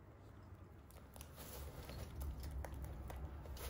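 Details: Holland Lop rabbits chew crunchy hay with rapid, dry crackling bites that grow louder midway, over a low background rumble.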